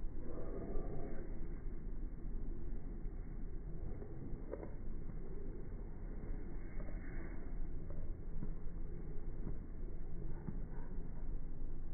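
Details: Low continuous vehicle-like rumble and wind noise outdoors, with faint distant voices.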